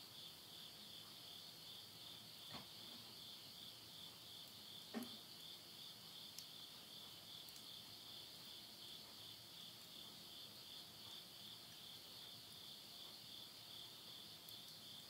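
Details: Insects singing at midnight in late-summer countryside, Tottori, Japan, September 2020. A constant high, shimmering ringing persists across the whole stretch, punctuated by scattered snaps and one louder crackle from a wood stove fire.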